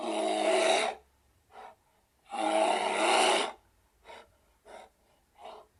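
A bear gives two long, harsh, rasping roars, each followed by shorter breathy huffs.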